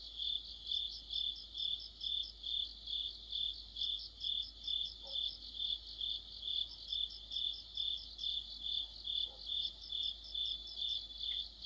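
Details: Crickets and companion insects singing together in deep autumn near a streetlamp: high ringing trills swelling in steady beats a little over twice a second throughout, with a couple of brief faint lower sounds in between.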